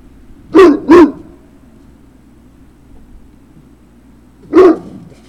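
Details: Great Dane puppies at Puppy Hill, recorded 3 June 2019 in the late afternoon: a quick pair of sharp barks, then a pause of about three and a half seconds and one more bark, over a low steady hum.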